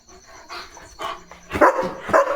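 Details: German Shepherd Leo on his night guard duty by the gate: soft, muffled sounds at first, then two loud, harsh barks about half a second apart near the end.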